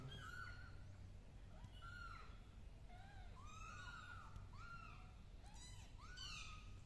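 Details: Kittens crawling on a carpet meow almost continuously, thin high arched cries following one another about every half second, some overlapping, with a low steady hum underneath.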